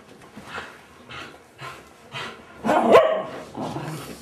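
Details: Border Collie puppies indoors: a run of short, soft yips spaced about half a second apart, building into a louder, denser burst of barking and squealing near the end.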